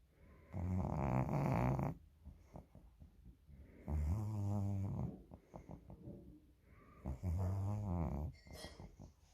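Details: Cat snoring: loud, low, rasping inhaled snores with a rumbling buzz, three long breaths about three seconds apart, each followed by softer clicking exhalations in a quiet room.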